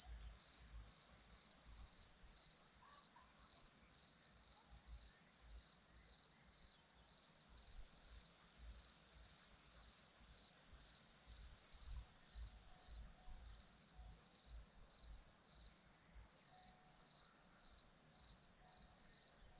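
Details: Crickets on a hillside in Zorlești, Romania, trill steadily in a high, shimmering band of pulsed chirps that carries on without pause.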